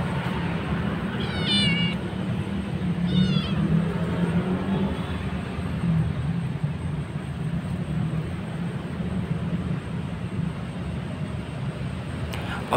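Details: Hungry stray kittens, one of a cat's three orange kittens found at a market while being fed, give two high, wavering meows about two seconds apart over a steady low rumble of traffic and street noise.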